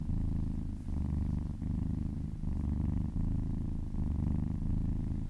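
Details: Massaged kitten giving a happy, deep purr that swells and pauses with each breath, around every three quarters of a second.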